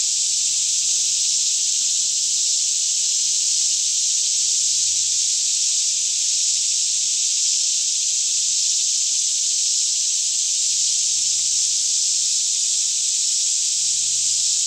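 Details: Daytime cicada chorus in a green forest near Franklin, Kentucky, around 10am with the air fairly still; a continuous shrill wall of buzzing sound with no gaps or pulses, a soft low drone underneath.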